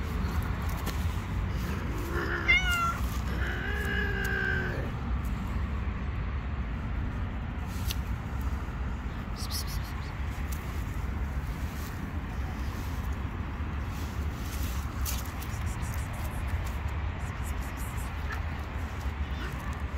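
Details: Street-living stray cat, hungry and wanting food but fearful of other cats, gives two meows early on, the second longer and drawn out, then quiet under constant low traffic-like rumble.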